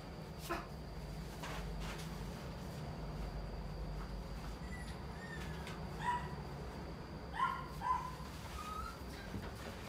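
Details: Male Toy Poodle puppy with a red coat, born 11 March 2019, at the coo&riku pet shop. After several seconds of quiet clicks and rustling, a few short, high, whiny yips and thin whimpers come near the end.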